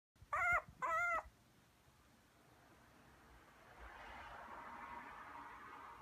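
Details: A 38-day-old male white puppy, a small Maltese and Toy Poodle mix, in Kumamoto, Japan, gives two short, high whines in quick succession, each with a wavering pitch. Quiet room hiss follows, with a soft rushing noise near the end.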